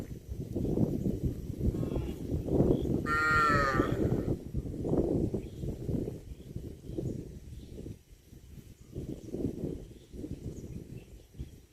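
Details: A cow gives a single loud, harmonic moo lasting about a second, with a bending pitch, standing out above steady low rumbling and scuffling background noise.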